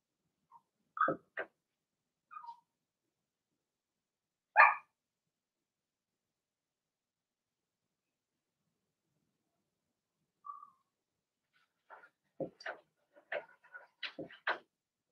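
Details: Cavalier King Charles Spaniel puppies, a March-born Blenheim litter of six with two girls and four boys, in their puppy pen: scattered short yaps and one sharp bark, a long quiet gap, then a quick cluster of small barks.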